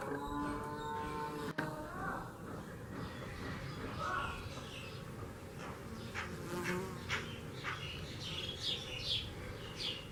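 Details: Honey bees working in Kashmir hum with a low, steady buzz, while faint high chirps sound in the background.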